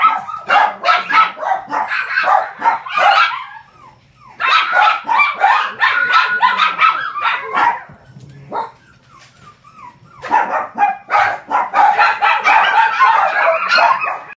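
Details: A male white-and-gold Shih Tzu puppy, 43 days old (born 24 July 2014), gives rapid, high-pitched yips and squeaky whimpers in bursts in Osaka on 5 September; described as calm and affectionate.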